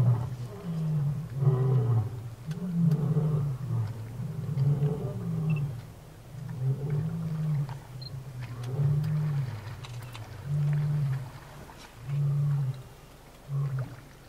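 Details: Kalahari lion at the big waterhole of Grassland Safari Lodge, Botswana, June 2013, heard while people watch animals: a series of deep, booming grunts that start long and strong, then shorten and space out, fading toward the end.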